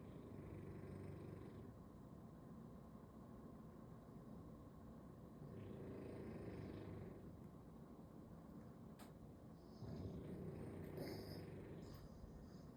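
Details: Lying on its back asleep on a Sunday, a bulldog snores in three slow, coarse, rumbling breaths spaced roughly four seconds apart, with a faint click near the middle.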